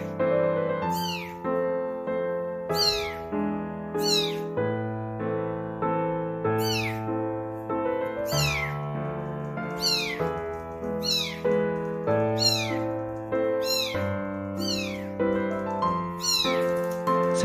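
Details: A nearly abandoned kitten cries in thin, high meows that slide downward, repeating about every two seconds over soft music, as though searching for something; it later calms when held and stroked.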